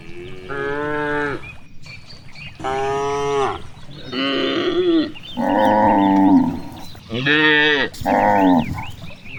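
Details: Cows grazing freely in a large green rice field in the countryside, mooing repeatedly: six loud harmonic moos of about one second each, some rising then falling, with brief gaps and faint background chatter of other birds.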